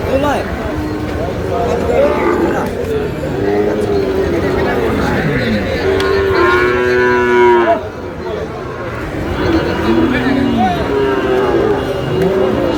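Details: Sahiwal bull calves at a cattle market where a Chittagong farmer is buying, 28 August: repeated drawn-out moos, one long loud bellow near the middle, then curving lowing calls, over a constant murmur of people.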